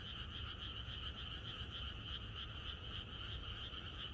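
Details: Frog chorus in the countryside the night before rain, rapid throbbing croaks about three to four per second merging into two sustained bands, with a low rumbling undertone throughout.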